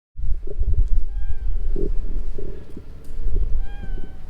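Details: Stray cat calling from inside shrubbery: two faint, short, level meows with clear overtones, about two seconds apart, over steady low rumbling background noise and scattered soft clicks.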